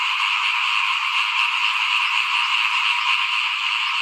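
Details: Frog chorus heard outside a house during rice sowing before planting in 2021; a brief burst of dense, continuous croaking and trilling from many frogs together.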